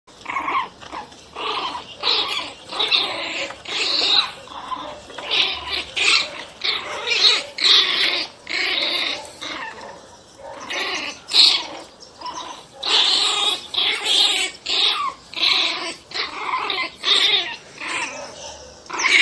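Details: Angry one-month-old pinscher puppies yapping and growling in rapid, harsh bursts, about two per second, almost without pause for the whole stretch, with a bright, raspy tone.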